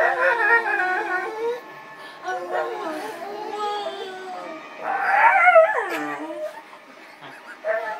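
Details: Pet dog breaking into song with wavering howls and short yips, varying loudness, a louder, higher, sliding burst in the middle and a brief final note.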